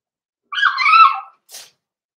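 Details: Cavalier King Charles Spaniel puppies indoors in a home puppy pen, being socialized with several older dogs on the day they start puppy mash; one high, harmonic, slightly wavering whine of under a second, then a short soft breathy puff.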